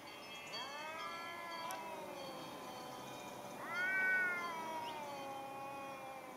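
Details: Fighting pair of cats, dated 8.11.2015, in cold conditions: sustained harmonic yowls, the first swelling and sliding down, a second one rising sharply around the fourth second into a louder, higher wail before settling back.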